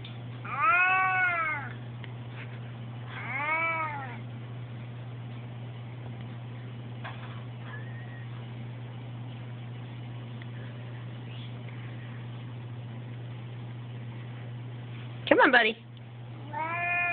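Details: Indoor male house cat upset at being inside beside a window, giving short arched wailing meows, two early and then more near the end after a long quiet stretch, with a steady low electrical hum throughout.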